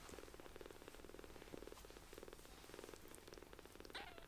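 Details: Tiny palm-sized rescued kittens purr while seeking affection: low throbbing pulses in bursts of about half a second, with one short rising-falling mew near the end.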